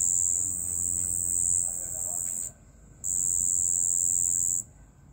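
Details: Cricket at night producing bursts of shrill high trilling: a long stretch that stops, half a second of near silence, then another sustained burst that ends abruptly.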